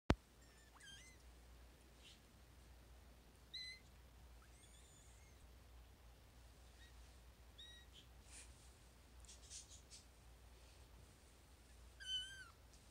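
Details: Four-week-old Maine Coon kittens give thin, high-pitched mews, scattered and brief against a quiet room, while being lined up for a photo.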